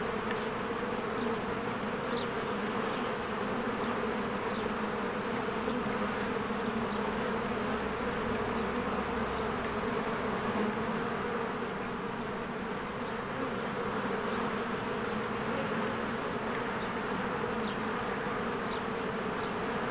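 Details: A honeybee hive in spring, swarms of bees flying in and out; twenty seconds of constant buzzing hum from many bees, level and unchanging, with sparse faint bird chirps overhead.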